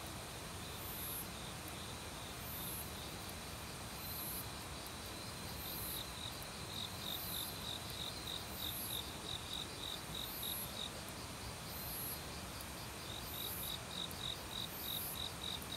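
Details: Forest crickets in autumn, singing alongside many other insects near a valley stream: a long run of quick, high-pitched chirps repeated about three per second, with fainter rhythmic pulses even higher, all over constant flowing-water noise.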